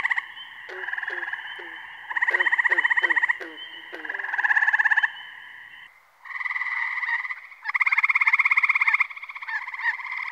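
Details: Frogs giving long, rapid buzzing trills in bouts of one to two seconds, overlapping and rising and falling in loudness, with short lower clucks scattered through the first half.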